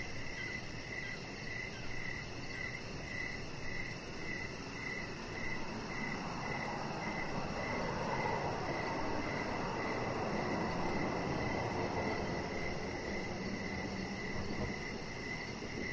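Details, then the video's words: Crickets at an evening deck where a chihuahua puppy rests: rapid regular chirps about twice a second throughout, joined midway by a swelling broad rumble like a passing vehicle, with a thin high buzz steady on top. "Cricket Sounds"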